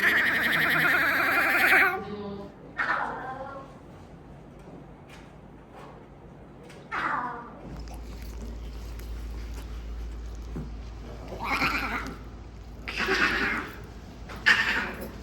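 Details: Lion cubs, one of two (a male and a female) from a litter of four born at Akiyoshidai Safari Land, Yamaguchi, Japan, held by a visitor. They cry when wanting something. Harmonic, wavering mewling cries: one long opening call, then shorter bursts, with human talk between.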